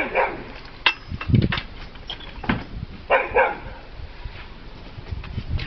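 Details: Peppie, a pet dog frightened by a little cat, gives short broadband barks at about one, one and a half, and three seconds, with quieter whimpering and household rustle between them.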